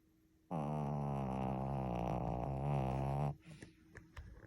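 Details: Shih Tzu dog indoors making a long snore: one unbroken, low, droning tone that holds steady for nearly three seconds, then breaks off into faint rustles and small shuffling noises in a quiet room.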